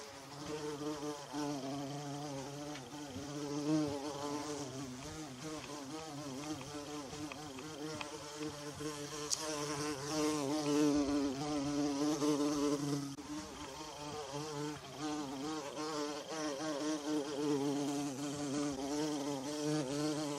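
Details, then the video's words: Bumblebee in a forest among wild violas, buzzing steadily: a low droning hum with a wavering pitch that rises and dips as it moves, loudness swelling and fading over twenty seconds, with a faint high background hiss. "Bumblebee Buzzing"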